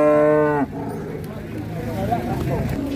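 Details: Indonesian farm cattle give one loud, deep, harmonic-rich moo lasting about half a second, cut off abruptly, followed by people talking nearby.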